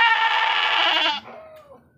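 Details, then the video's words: Javanese goat, a female of about 18 kilograms, bleating while being weighed: one loud, harmonic, slightly wavering bleat lasting just over a second, ending abruptly, followed by faint quieter sounds. "KAMBING JAWA TIMBANG BERAT"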